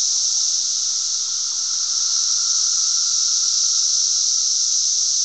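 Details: A dense chorus of cicadas in Glen Ellyn, Illinois, on June 10, 2007, holds a continuous, sizzling high-pitched buzz, even and unbroken, with a fainter lower hum beneath it.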